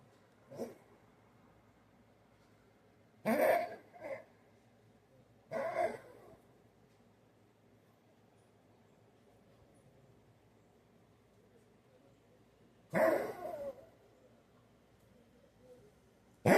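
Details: Bubby, a Chihuahua with a collapsed trachea, coughing indoors in a small room: short harsh honking bursts, a strong pair near the start, one a couple of seconds later, then a long gap before another loud burst and a final one.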